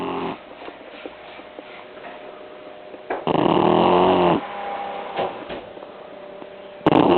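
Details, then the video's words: An 11-week-old blue Shar Pei puppy, worn out after a long sunny day, snores while sleeping on a person's lap. Loud, buzzy, tonal breaths come in bursts roughly three seconds apart, with faint murmurs between. "Blue Shar Pei Puppy snoring"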